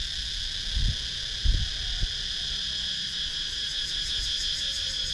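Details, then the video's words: Wild cicadas calling in a wooded rural area of Sakon Nakhon, Thailand, captured with a GoPro Hero 9: continuous high, even droning whine with a faint pulsing shimmer near the end, and a few dull knocks early on. "Cicadas Sound"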